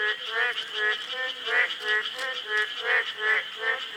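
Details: Boreal digging frogs (maengkkongi) recorded during river monitoring in Korea, calling as a chorus: nasal, harmonic croaks repeated about every third of a second, overlapping voices, with a steady high insect-like hum behind.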